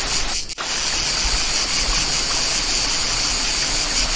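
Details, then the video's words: Countryside cicadas keep up a high, even droning buzz with a quick pulsing texture, briefly dipping near the start, while a waterfall pours steadily underneath. "Campagne│Cascade│Ruissellement de l'eau│Chant des│Cigales"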